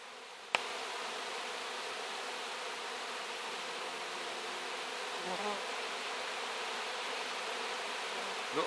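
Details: Honey bees cleaning wax: a dense, steady, hiss-like buzz of many insects runs throughout, with a sharp click near the start and faint low sounds around the fifth second.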